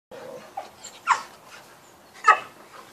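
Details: Dogs at play: a nine-month-old male Cane Corso with female Entlebucher and Appenzeller mountain dogs, giving a few short whining yips and brief harsh barks spaced through the moment, with quiet gaps between.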